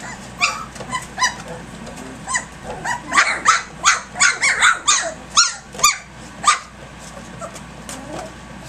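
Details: Three-week-old puppies at play early in the morning, a rambunctious litter: a burst of sharp, high yelps and squeaks, irregular and overlapping, loudest around the middle, then trailing off into quiet.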